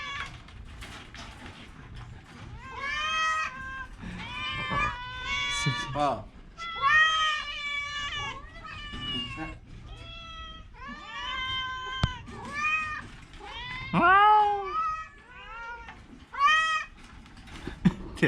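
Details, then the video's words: Sick orange cat suffering a cough and cold gives many quick, arched meows in bursts, each one bending up then down, while a person's voice talks in between. "Kucing Oren Lagi sakit batuk pilek"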